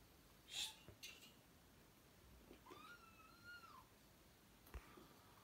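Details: Kitten meow: one drawn-out tonal cry holding steady, then dipping at the end, after a couple of short clicks and thumps, with soft room noise and a person speaking Turkish right afterwards.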